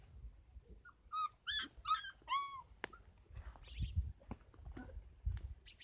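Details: Kangal puppies aged 33 days at a Kangal dog farm give high, thin whimpers that bend upward then fall, several in quick succession, followed by softer squeaks over low rumbling background.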